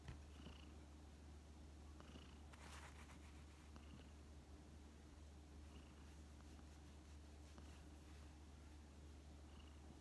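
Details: Elderly feral community cat Tsuyoshi, ill with kidney failure and cared for at home through the hot August of 2019. It gives continuous soft low purring, broken by occasional faint high squeaks and a brief rustle.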